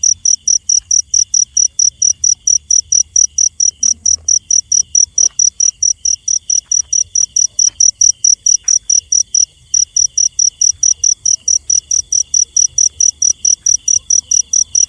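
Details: Cricket calling in the night, a long run of high, metallic chirps at a steady pace of about four per second, with a brief gap midway and a quiet low rumble.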